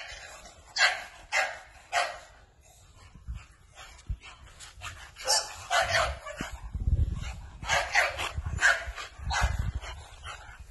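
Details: American Bully barking repeatedly in bursts, with strong sharp barks at a brisk, uneven pace and some low thumping sounds in between.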